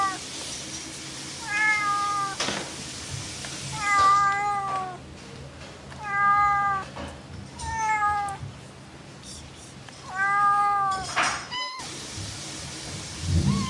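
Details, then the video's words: Playful pet cat repeating short, slightly falling meows about every two seconds, five in a row, over a soft steady hum. "Mèo kêu meo meo Chú mèo tinh nghịch Tiếng mèo kêu"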